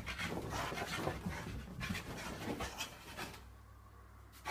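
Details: Excited Staffordshire Bull Terrier panting fast and noisily, about three breaths a second, rough and breathy, easing off toward the end, with a low background hum.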